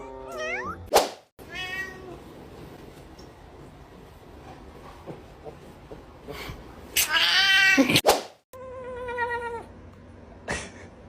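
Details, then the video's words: Assorted cat sounds cut together from a funny compilation: a falling meow, abrupt silent gaps, a loud burst of harsh noise, then a faint rapid series of short chirping notes, with background hum throughout. "Funny Cat Sounds Compilation"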